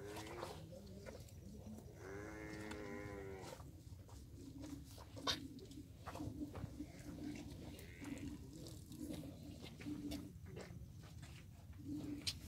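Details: Water buffalo with two calves drinking her milk: a brief loud moo near the start, followed by softer low grunting calls, with scattered clicks and handling noises.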